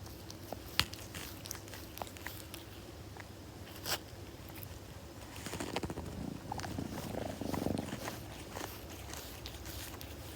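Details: Kitten purring up close, a soft low rumbling that swells through the second half, with sharp licking and grooming clicks scattered across the recording.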